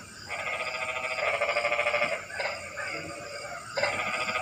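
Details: Rainy-night frog chorus: several overlapping bouts of fast, rattling pulsed croaks. The bouts start, pause briefly and resume, and a constant hiss sits underneath.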